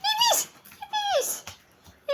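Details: Maltese dog at playtime gives high whining yelps that slide downward in pitch: two drawn-out cries, then a short third near the end, with a person speaking softly between them.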